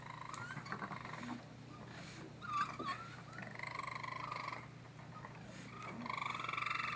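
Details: Baby raccoons calling in short, nasal, churring chirps with a wavering pitch. They come in scattered bursts that grow longer and louder toward the end, over a constant low electrical hum.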